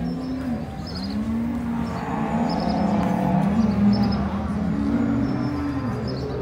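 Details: Brown Swiss cattle at the Braunvieh show of both Appenzells, the 100th jubilee Saturday in Appenzell, Switzerland, 2022: low, drawn-out moos that rise and fall in overlapping arcs, over a steady rumble like engines and a faint murmur of people.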